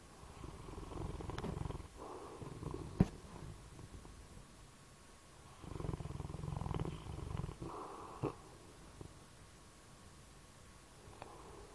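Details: Low, gravelly snores from a sleeping bloodhound, several rumbling breaths in uneven succession with brief pauses and a few small snorts and clicks.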